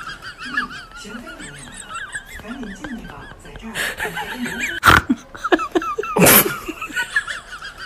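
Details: Hearing a bag crinkle, guinea pigs keep up shrill, quavering squeals in rapid series, while bursts of crackling plastic grow louder toward the end and quiet laughter sits beneath.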